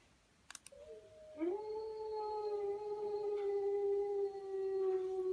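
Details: Dog howling indoors, one long steady tone that slides up at the start and then holds level for about four seconds with rich harmonics, after a couple of sharp clicks.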